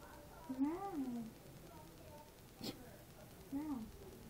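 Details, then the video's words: A domestic cat makes two short, low meows about three seconds apart, with a sharp click between them, indoors in a quiet room. "Demon says moww"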